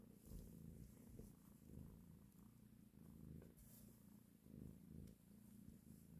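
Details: A nursing mother cat caressing her kittens gives a deep, rhythmic purr that rises and falls in gentle waves, loud and close, with faint hiss of background noise.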